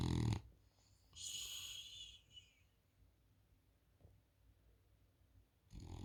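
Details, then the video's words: A French Bulldog sleeping on a couch makes a short rasping snore, then a thin high nasal whistle on the breath out, a long quiet pause, and the start of another rough snore. "French Bulldog Snoring"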